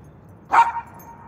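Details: A pet dog barking during its owner's morning exercise: one short, sharp bark rising out of quiet background hum, with a brief ringing tail.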